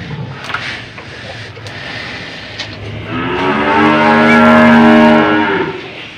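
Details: Aged cow moos while handlers fit a rope through its nose. After three seconds of low rustling, a long, steady, strongly harmonic moo swells and holds for about three seconds before fading.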